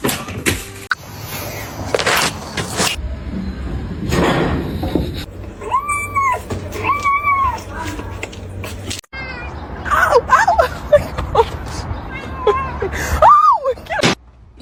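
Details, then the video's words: Kitten crying with several clear meows, each a rising then falling, slightly wavering tone, spaced a second or so apart, mixed with a person talking soothingly and background rustling. "kitten meowing crying"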